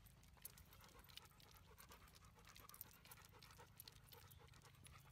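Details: Labrador Retriever named Max panting during off-leash training: a steady run of rapid, breathy huffs, with heavy low rumbling noise underneath and no voiced calls.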